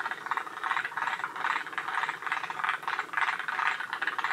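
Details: Forest green tree frogs at Shiriya in Aomori, Japan, one of the northernmost populations of the species. Several frogs give dense rattling, clattering calls in quick uneven bursts that overlap into a continuous chorus.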